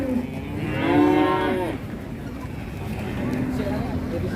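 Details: Huge cattle unloaded from a truck and agitated: one strong bellowing moo with rich stacked harmonics, rising then falling over about a second, followed by low rumble and background noise.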